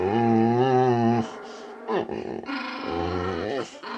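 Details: Small Chihuahua visiting indoors, bossing a much bigger male boxer named Rex who only wanted to play. A steady, low, rumbling growl holds for about a second, then Swedish speech and brief household noises follow.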